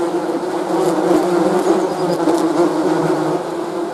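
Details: Bees buzzing in a steady, dense drone, a low humming tone with a rough, grainy texture and slight swells in loudness throughout.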